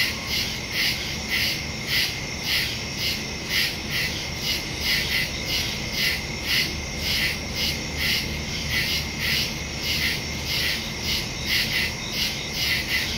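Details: Crickets calling through the night in a wooded area on September 2, 2023, Samsung Galaxy S22 Ultra with Shure MV88+ stereo microphone; steady stream of high pulsed chirps, about two per second, above a droning insect background.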